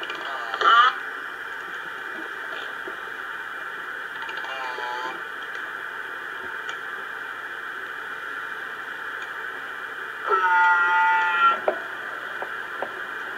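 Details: Killer whale pulsed calls, short harmonic squeals rising and falling over steady underwater hiss, recorded on the Lime Kiln hydrophone around 2:25 a.m. EST on 22 June 2011.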